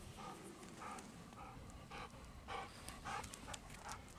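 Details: Golden Retrievers out walking in Osaka, Japan, in spring, recorded April 4, 2022: a parent and young dog walking together. Rhythmic breathy panting bursts, roughly twice per second, over steady low outdoor background rumble.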